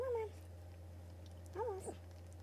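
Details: Indoor Boston Terrier birth, a litter of nine puppies delivered on January 23, 2018. Two short, thin squealing whines, the first sliding gently downward, the second rising then dipping, separated by a quiet gap, over a constant low hum.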